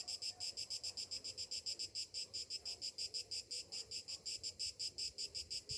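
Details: Cicadas singing on a summer morning: a dense, high, buzzy drone pulsing steadily about five times a second, with nothing else standing out.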